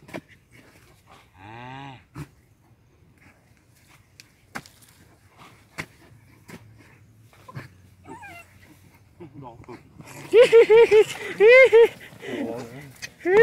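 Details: Dogs hunting for mice in a field give high, arching whines and yelps, first a single cry early on, then a loud run of repeated yelps near the end, with scattered clicks and rustling between.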